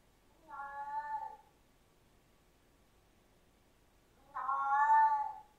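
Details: Siamese cat producing two meows several seconds apart, the first softer and shorter, the second louder and longer, with a faint hiss of background noise.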